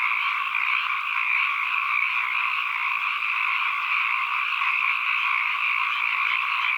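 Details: Frogs calling in a continuous dense chorus, a steady shimmering drone with bands of sound at mid and high pitch and no pauses or breaks, recorded as an ambient environmental soundscape.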